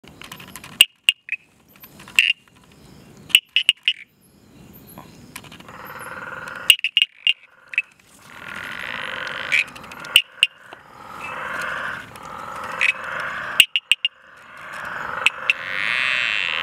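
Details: A tinker reed frog (Hyperolius tuberilinguis) at Mtunzini, KwaZulu-Natal, South Africa, gives sharp, metallic tinking clicks, singly or in quick pairs, like tapping on glass.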